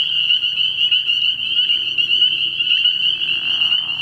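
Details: Early-year night chorus of spring peepers at a frog pond, shrill overlapping peeps forming a steady high ring that pulses slightly, with a short lower rasping sound toward the close.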